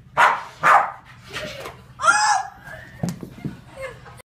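A Boston Terrier gives two sharp barks, then a drawn-out whining yowl and softer grumbles.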